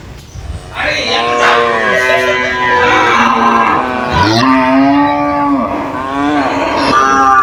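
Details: Loud overlapping moos from caged cows responding to one another, the bellows continuous across the clip, with wavering pitches, a sharp downward swoop near the middle and rough, strained tones.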